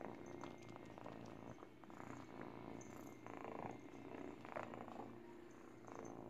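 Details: Low rhythmic purr from an eight-week-old kitten chewing a baby blanket while teething, with bursts of rustling and soft mouth clicks over the steady rumble.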